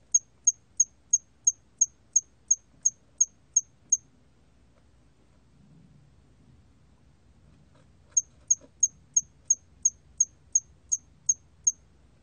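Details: Hairy cricket recorded in 2020: clear, high, short chirps repeated about three times a second in a run of eleven, a four-second silence, then another run of about twelve, over a faint low hum.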